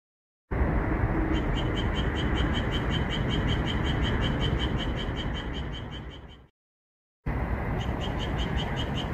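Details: Green frogs calling on a calm moonlit night in a red pepper field, edited for frequent calls; rapid repeated croaks pulse about four times a second above a thick low chorus, fading out then resuming after a short silence.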